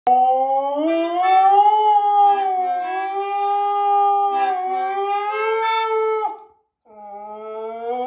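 A Siberian Husky howls in long, sustained, slightly wavering tones, then starts a fresh rising howl after a brief pause.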